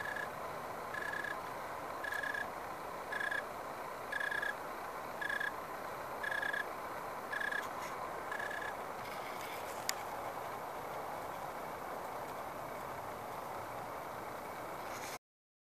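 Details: An unidentified insect in a backyard grapevine in the SF Bay Area, shortly after sundown on 10/29/2015 in dry 75-80 degree weather, gives short, clear, mid-pitched chirps about once a second over a steady hiss.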